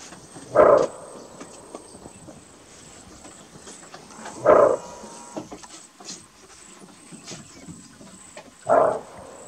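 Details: Greater kudu in Kruger National Park giving its bark alarm call: three short, loud, gruff barks spaced about four seconds apart, each a brief burst, over a quiet, faintly hissing natural background.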